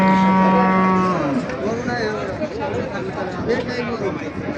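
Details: Pregnant Holstein Friesian cow at a cattle market in Bangladesh: a single steady, low moo lasting about a second, followed by loud crowd chatter and market bustle.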